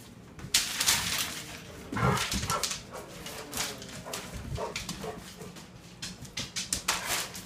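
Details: Vizsla mother playing with her four-week-old pups; short whiny and growly vocal bursts break out amid scuffling, rustling play noise and soft thumps, with one louder grumbling outburst near the middle.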